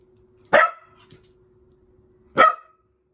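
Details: Seven-month-old Welsh Corgi puppy indoors, trying a shell game for the first time: two sharp, loud single barks about two seconds apart, each with a brief ringing tail, over a quiet room with a faint steady hum.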